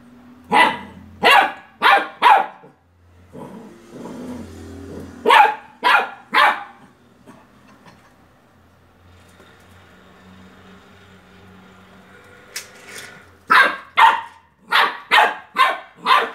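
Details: A Beagle puppy barks at a toy car, giving sharp, high barks in quick bursts of two or three with a quiet pause between.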